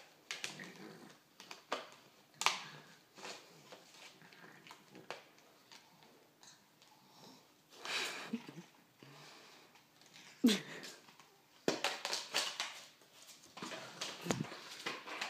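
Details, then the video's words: Pug playing with a flower pot indoors in a small room: short snuffling sniffs and wheezy snorts in scattered bursts, with knocks and scrapes of the pot between them. "When a Pug play with a flower pot."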